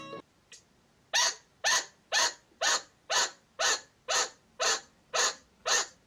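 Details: A chinchilla gives sharp, harsh alarm barks repeated steadily about twice a second, a serious distress signal to be taken seriously.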